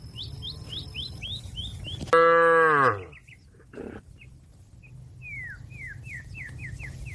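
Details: Cattle calling fellow animals home to the pen: a single loud, rich moo lasting about a second, set between series of quick downslurred bird chirps.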